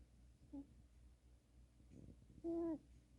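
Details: Cat snoring: a short nasal, tonal squeak, then after a quiet pause a longer whistling squeak near the end, each like a breath whistling through the nose, over a faint steady room hum.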